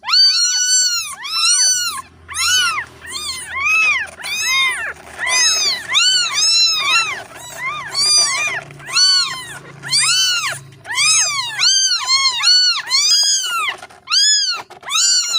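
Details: A kitten separated from its mother calls insistently, producing a rapid, nearly continuous run of over twenty high, bent meows, some doubled or broken, with a soft low rumble underneath during the first half.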